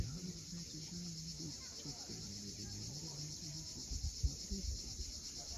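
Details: Steady high-pitched cicada drone at sunset on the Crimean coast at Cape Fiolent, unbroken across the clip, with low humming, voice-like tones and a few soft knocks underneath.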